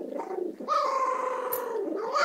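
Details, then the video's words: Maltese named Bailey guarding the food bowl he took from his brother Jack, a sustained, moaning, talking-like grumble with a steady tone and harmonics, held for about two seconds indoors. "Maltese guarding food bowl"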